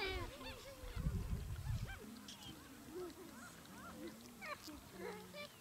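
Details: A group of gelada baboons in Ethiopia's Simien region, recorded October–November 2015, gives scattered curved, tonal calls and short moans at mid pitch; heavy wind buffeting fills the first two seconds.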